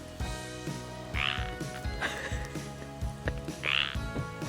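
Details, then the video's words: A frog gives short, raspy croaks a couple of seconds apart from a pond near an RV in cold, misty, rainy weather, with people talking nearby. "We got gophers digging up around our RV, and then we got a frog croaking at us from the pond."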